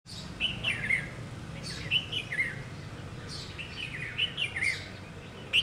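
A squirrel gives sharp, high, bird-like chirps in quick little clusters, over a low outdoor hum.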